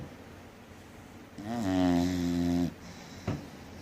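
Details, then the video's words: Sleeping English Bulldog, three years old, named Rosalee, giving one heavy rattling snore just over a second long, followed by a short soft snuffle. "3 year old English Bulldog snoring hard"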